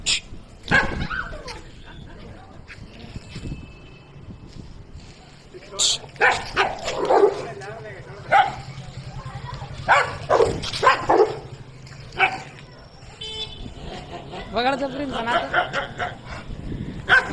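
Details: Rottweilers or other dogs bark and snarl in bursts during a street dog fight, with people's voices in between.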